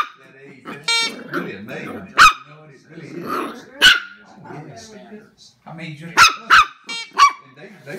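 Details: Jack Russell terrier puppy Knuckles battling a big gummy bear: grumbling growls and a short whine, scattered sharp barks, then a quick cluster of four yaps closing out.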